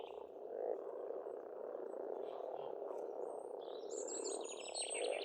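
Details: Spring frog chorus from an Estonian pond: a steady, thick mass of overlapping croaks, joined in the final seconds by bright, rapid twittering bird song high overhead.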